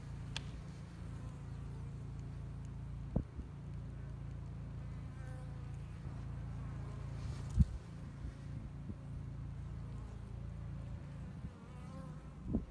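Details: Spring honey bee colony, two years old, in Hickory Creek, Texas, building up the hive under a glass top; constant deep humming drone broken by a few sharp clicks or taps.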